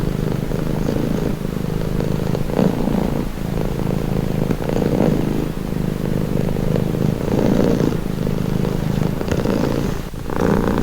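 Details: Domestic cat purring steadily in a calming recording, a low continuous rumble with soft breathing swells roughly every one to two seconds and a brief dip near the end; faint background hum.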